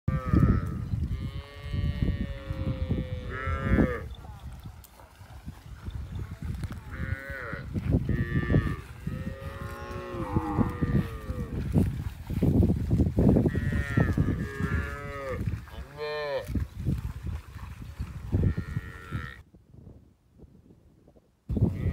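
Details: Cows with their calves, grazing and eating together in a field, give repeated harmonic moos, some rising and falling, several overlapping across the recording; low rumbling background noise throughout and a brief silent gap near the end.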